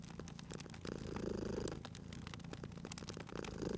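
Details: Domestic cat purring by a crackling fireplace while sleeping, cozy spring ambience; uneven low rumble rising and falling, partly masked by frequent snapping fire crackles.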